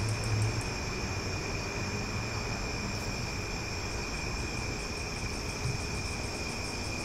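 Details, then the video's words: Loud cicadas on a summer night in Omaha: a dense, steady, high-pitched shimmering drone with layered tones. Rapid ticking pulses appear near the start and end over a low background rumble. "Cicada Sounds for Sleep"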